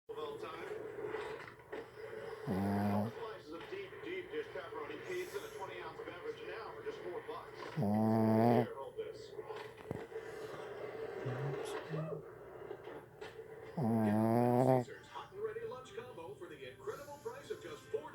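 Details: A dog snoring: three long, harmonic, rasping snores arrive about every five to six seconds, each lasting under a second, with quieter breathing and a steady low background hum between them.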